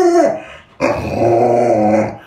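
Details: Pet Alaskan Malamute at home making a brief falling whine, then a long rough, growly howling moan with strong low rumbling tones that fades out gradually.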